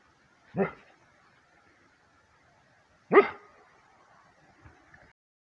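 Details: Rhodesian Ridgeback prompted to bark by a howling sound from its owners; two short, sharp barks about two and a half seconds apart in an otherwise quiet setting.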